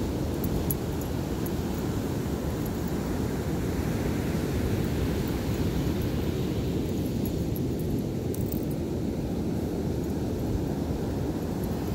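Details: Loud, steady wind roar and surf rumble on a beach fill the whole stretch, with no barking or other animal sounds.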